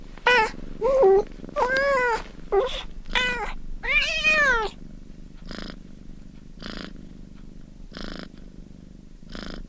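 Kittens give a rapid series of high, thin meows that bend up and down in pitch.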